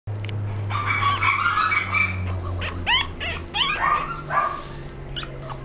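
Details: A small black Pomeranian gives quick, high-pitched yips and whiny barks over a steady low hum.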